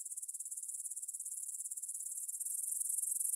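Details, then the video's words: Grasshoppers in a field beside the Svensky monastery in Bryansk, Russia, at 9 pm, 6 September 2020, on a Tascam DR-44WL: a thin, high, fast-pulsed chirring, slightly swelling in loudness toward the end. "кузнечики на лугу – Grasshopper Sounds in the Field"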